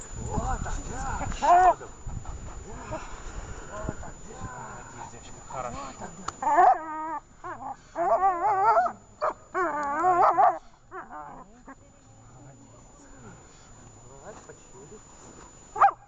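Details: Dog Dzheni during a training session in Horlivka on 18 August 2019: a man's voice first, then several drawn-out, wavering whining yelps in quick clusters, trailing off into quiet with one last short yelp.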